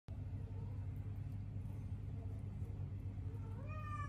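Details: A Sphynx cat caring for newborn kittens that are not its own gives a short, tonal meow that rises and bends near the end, over a steady low rumble.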